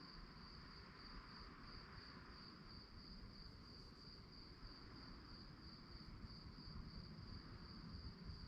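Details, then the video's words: Crickets at night keep up an unbroken shrill trill of rapid, regular pulses, with a dull low rumble underneath throughout. "relaxing sounds of crickets"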